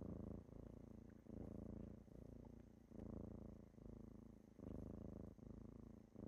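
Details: Low, throaty kitten purr on a morning wake-up, loud rumbling phases alternating with softer ones in an even breathing rhythm about every one and a half seconds.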